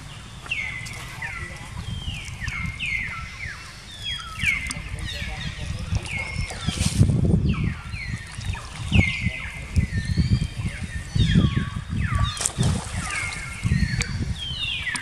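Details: Jinx, a young female monkey attacked by the monkey Spring, cries in rapid, repeated high descending wails, several per second in bursts, over loud low sloshing and rustling sounds throughout.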